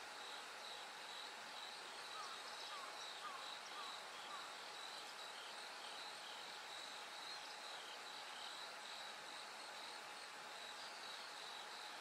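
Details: Bell cricket chorus from night toward dawn, with autumn insects: a steady, dense high shimmering trill with bands of ringing tone, unbroken throughout, plus a faint constant low hum.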